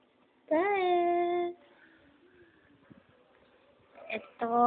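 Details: Pet house cat, one of three little cats named Spot, Noisy and Kahel, indoors: a single drawn-out meow that rises at the start and then holds steady for about a second. Quiet room noise follows, then another call begins at the end.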